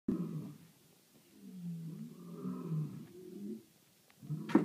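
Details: Lions roaring at night in South Africa: low, throaty moans rising and falling in long, rumbling waves, ending with a brief knock and short burst of sound.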